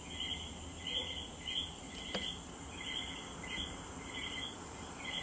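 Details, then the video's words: Common coquí from Puerto Rico calling: short two-part notes, a lower tone jumping to a higher one, repeated about every second and a half, several callers overlapping, over a constant high insect drone. "The sound of the coqui de Puerto Rico."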